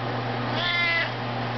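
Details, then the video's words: Maine Coon cat singing an encore on cue for its owner during Twinkle Twinkle Little Star. A single tonal, slightly rising meow of under half a second is heard above a constant low electrical hum. "Maine Coon Cat sings"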